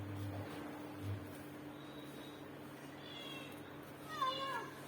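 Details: A roughly 7.5-month-old indoor female kitten, born 25 Feb 2025, gives a drawn-out, wavering meow that rises then falls; she has meowed and howled nonstop for 7–8 days, is timid and pulls back when touched, eats well, and has a tight stomach.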